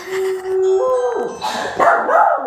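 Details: A Pomeranian reacts to a doorbell chime with a drawn-out, slightly rising howl, then breaks into a few sharp, yappy barks.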